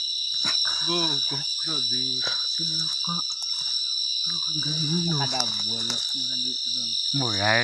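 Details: An unknown insect met on a night hike in the jungle gives a loud, steady, high-pitched drone without pause while a person talks over it. It hid in a hole when approached.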